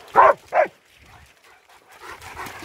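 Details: German Shepherds Nico and Zeeva on a winter wander around Hawick, Scotland, filmed on an S23 Ultra phone: two sharp, quick barks half a second apart, followed by faint rustling and footsteps.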